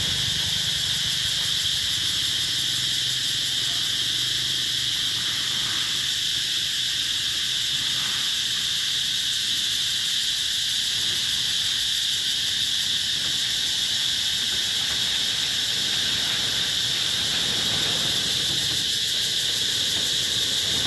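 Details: Cicadas calling in summer at the Mỹ Luôn eco-tourism site, 2021: a dense, unbroken high buzzing with steady shimmering bands, holding an even level for the full twenty seconds, with faint low rumble underneath.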